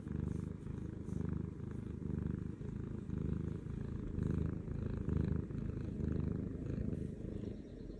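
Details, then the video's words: Happy purring from Butters, a pet cat lying on a lap. The continuous low vibration pulses gently with inhale and exhale, under a second apart, and stays steady for eight seconds. "Happy purring lap cat"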